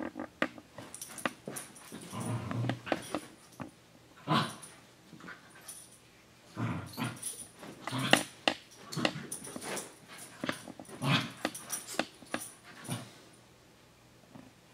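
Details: Playful dog and puppy siblings Senji and Chloe roughhousing indoors; frequent short growls, snarls and scrabbling noises recur every second or two throughout.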